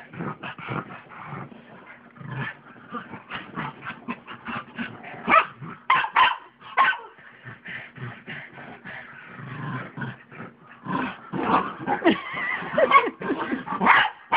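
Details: A pug and a mutt play-fight on a bed at home. Rapid yips, short barks and throaty growls tumble out almost continuously, rising in intensity toward the end.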